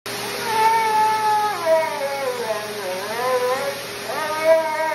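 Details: A husky sitting in a dryer "sings" in long, wavering howls that slide down, dip, and swing back up.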